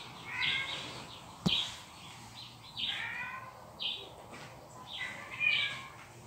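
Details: Cat calls heard by Kitty, a pet cat defending her space from intruding felines. About five short, nasal meows spaced roughly a second apart over a hissing background, with one sharp click early on.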